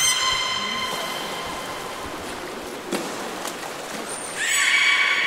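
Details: Captive belugas at Port of Nagoya Public Aquarium, Japan, on 11 August 2018, during an attempted pool transfer swapping Nana and Hodoi; a steady harmonic tone, then brief clicks and a sharp rise into a bright, buzzy harmonic call.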